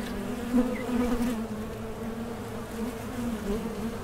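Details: Low, droning hum of many honey bees in a small-scale beekeeping Mason jar honey super, steady in pitch, with slight surges where individual bees fly nearer.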